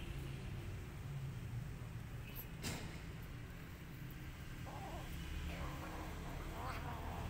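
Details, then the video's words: Rescued feral sibling kittens, recently weaned by their mother, growl at one another while eating and fighting over food; low rumbling growls continue throughout over a steady background hum, with a brief higher cat sound near the end. "Sibling Kittens Are Growling For Food"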